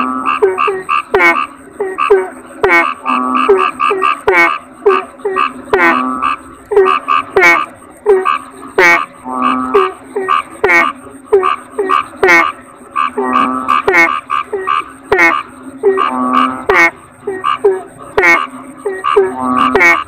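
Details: Kodok bangkong toads call together: clipped, nasal croaks stacked with rich overtones, repeated in rapid clusters, some drawn into brief rattling trills, the overlapping voices forming a continuous pulsing chorus over a thin high hum.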